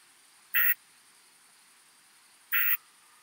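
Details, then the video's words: More-modest plump bush-cricket singing at Eichkogel, Austria, on 18 June 2022, picked up through an ultrasound detector: two short, harsh buzzy bursts, each about a fifth of a second, spaced roughly two seconds apart over quiet background hiss. "Isophya modestior -- Große Plumpschrecke -- More-modest Plump Bush-cricket"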